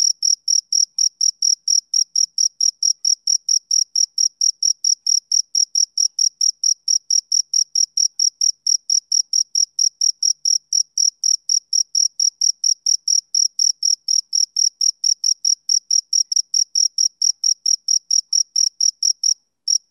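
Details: Steady chirping of a male cricket: a long run of short, shrill, evenly spaced pulses at roughly four per second, with a faint upper overtone and a brief pause at the very end. Nothing else is heard.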